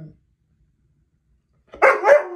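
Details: A husky, set off by a simple laugh, breaks a silence with a brief, wavering howl that swells in two quick surges.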